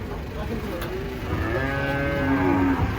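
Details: Cattle being unloaded from a truck: a long, low moo swells from about halfway through and holds as a drawn-out harmonic drone that sags slightly at the end, over a steady background hum.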